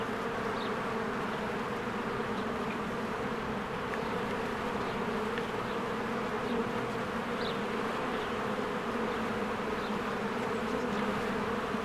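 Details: Honeybees flying in and out of their hive on a spring day as flowers bloom; a dense, steady droning buzz with a low hum band, constant throughout, with faint short high chirps of distant birds scattered above.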